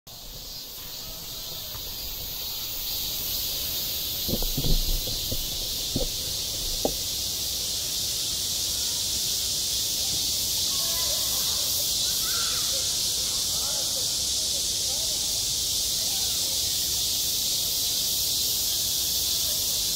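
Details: Cicadas singing in midsummer at a school playground, self-recorded: a steady, dense, high hissing buzz runs throughout, with a few brief low knocks and thumps near the start.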